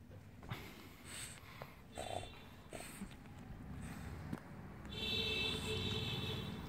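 A French Bulldog snores and snorts in its sleep with rough, rumbling breaths and a faint nasal whistle.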